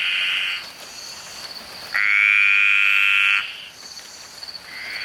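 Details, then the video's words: Green tree frogs sing very loudly in the rainforest, long buzzy high trills that swell and fade, with pauses between them. "Green Tree Frog Singing"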